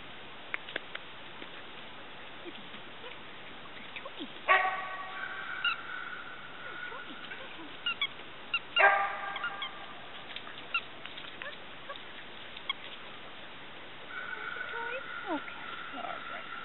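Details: A Labrador mix puppy whines in two sharp rising bursts about four seconds apart, each trailing into a long thin high whimper, with softer whining returning near the end over a steady background hiss.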